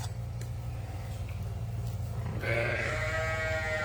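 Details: Newborn, medium-sized lamb on a farm being tube-fed colostrum, giving one sustained, wavering bleat that starts abruptly after a couple of seconds of low background hum and holds to the end.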